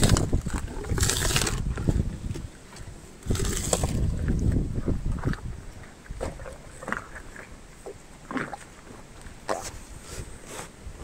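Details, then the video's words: Elephant named Meri eating sugarcane: loud crunching snaps of cane breaking near 1 and 3.5 seconds, then softer irregular chewing and grinding with occasional sharp cracks over low rumbling background. "Elephant eating sugarcane พี่เมรีกินอ้อย"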